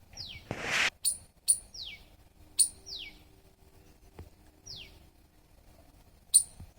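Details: Squirrel giving bright clipped chirps with quick falling squeaks, spaced irregularly between pauses; a brief rushing noise burst near the start and a quiet low hum underneath.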